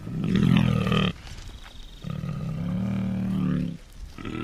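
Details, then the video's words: A deep, throaty bear growl-moan, loud for about a second, then a longer, steadier low drone with a faint higher tone above it, fading at the end. "សំលេងសត្វខ្លាឃ្មុំ/Bear sounds 100%"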